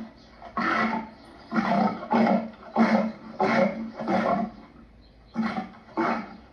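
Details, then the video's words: Lion sounding seven throaty, rasping bursts in a row, roughly every seventh of a minute apart at first, then a short gap before two final grunts. "Lion sounds"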